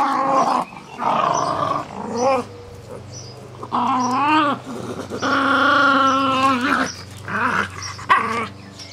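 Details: Jack Russell Terriers, a pair at play tugging a soft toy rabbit, give long wavering growls that swell and bend in pitch, some drawn out for over a second, separated by quieter gaps.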